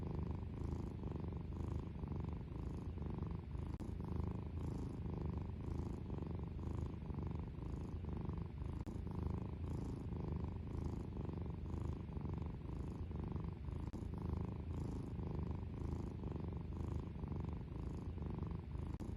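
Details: A cat purrs loudly and continuously, a deep rumbling drone that swells and fades with each breath in a steady rhythm, with no other sounds.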